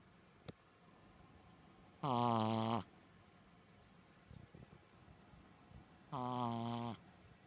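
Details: Koron, a sleeping Shih Tzu staff dog, snoring in a human-like way: two drawn-out, nasal, harmonic snores about four seconds apart, each under a second long, in a quiet indoor room with faint rustles between.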